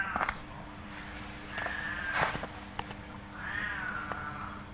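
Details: Domestic cats, big and small, playing in a front yard cage; a brief meow near two seconds and a longer drawn-out meow at the end, amid rattling knocks.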